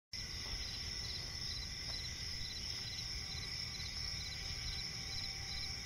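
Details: Crickets chirping at night in a swamp forest: a steady high continuous trill with faint pulsed chirps beneath, over a constant low rumble of background noise.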